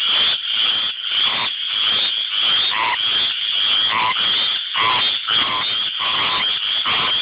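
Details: Mating chorus of tree frogs, shrill rapid croaks packed together with pulses nearly twice a second and deeper single notes interjected from nearby callers.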